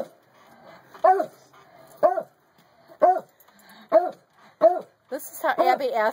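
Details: A beagle and a beagle/treeing Walker coonhound mix asking to come indoors; single yelping barks about once a second, ending in a rapid burst of overlapping yelps from both dogs, with a person speaking.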